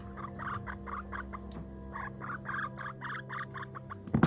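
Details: Pipsqueak, a male rescue guinea pig, gives rapid runs of short squeaky chirps, roughly four bursts a second, in two bouts separated by a brief pause, over a steady electrical hum, with a sharp click near the end.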